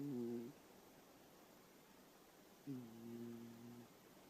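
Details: Old cat snoring in its sleep, two rough, droning snores with layered low tones, the first cut short at the start, the second lasting just over a second after a quiet pause.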